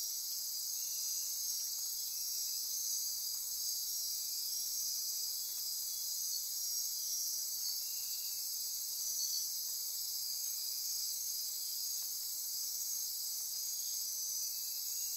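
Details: Costa Rican rainforest insects at midnight near Corcovado National Park, Osa Peninsula: constant high trilling and ratcheting layers that hold steady throughout, with slight rhythmic swells.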